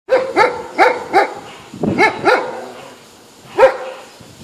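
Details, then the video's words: Poodle showing off and teasing other dogs; sharp, harmonic barks in quick bursts, four in the first second and a half, then two more, then a single bark near the end, with quiet pauses between. "Poodle fanfarrão tirando onda com os Patores"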